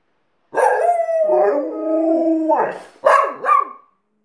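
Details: Alaskan Malamute howling with a second dog it taught: a drawn-out, layered howl that dips and wavers, then breaks into two or three sharp, yelping yips at the close.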